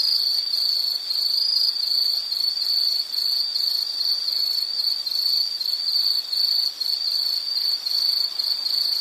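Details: Nature recording of insects: a shrill high trill pulsing in quick even waves, continuous and dense, with faint higher overtone buzzing above.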